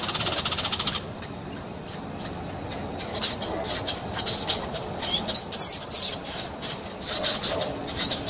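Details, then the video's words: Squirrels angrily fighting, giving scratchy, high chattering pulses in irregular runs that grow louder near the middle, after a brief opening hiss. "Angry Squirrels with Fighting words!!"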